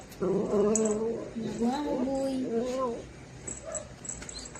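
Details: Dachshund giving a drawn-out whining, yelping call in a series of wavering, rising and falling tones lasting about three seconds, indoors, followed by quieter room sounds.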